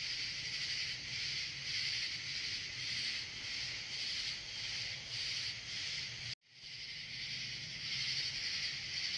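Katydids fill the air with a dense, high buzzing that pulses steadily several times each second.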